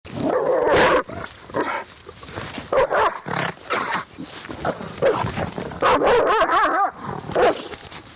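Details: Angry, agitated dogs barking and snarling: loud harsh barks in bursts, some with wavering growling tones, separated by short pauses, with several dogs overlapping.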